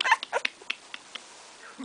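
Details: Two-week-old Bull Terrier puppy from a litter, eyes fully open, recorded 10 February 2013: a run of short high whimpering squeaks, several in the first half-second then spaced yips, with quiet gaps between.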